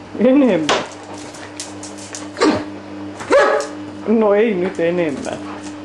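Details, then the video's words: Ibizan Hound, male, awake and vocal about lacking something, giving four drawn-out whiny calls whose pitch wavers up and down, like talking, with short pauses between; a steady low hum runs beneath. "Ibizan Hound Gets a Need!"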